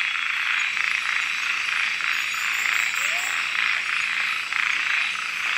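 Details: Nighttime frog chorus in Kubah National Park, recorded with a Panasonic GH4. A continuous high-pitched buzzing wall of calls, with one brief upward-sliding note near the three-second mark and faint high ticking above.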